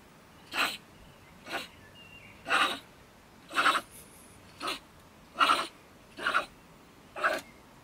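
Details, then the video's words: Bad-tempered female beech marten (stone marten) living in a woodpile next to a shed in Germany, raving loudly at 10 pm; eight harsh, spitting rasps at a steady pace of about one per second. "Our Ranting Neighbour Mrs. Stone Marten - Frau Steinmarder flippt aus"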